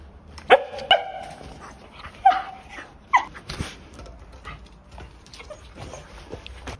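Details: Shetland Sheepdog named Danpoong, a young male puppy born June 2021 in Yangpyeong, Korea, giving a few short sharp barks with clear harmonics, spaced irregularly about a second apart, then quieter yips and whimpers over a soft background.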